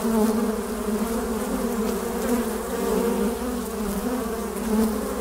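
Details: Honey bees flying at a beehive entrance, recorded by a beekeeper sitting before the hive: a dense, steady, low droning hum with a second band just above, swelling and easing gently throughout.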